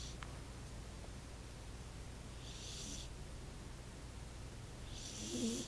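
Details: Roxy, a sleeping pet cat, snores softly: faint breathy hissing bursts come roughly every two and a half seconds over a steady low indoor hum, the last one slightly louder.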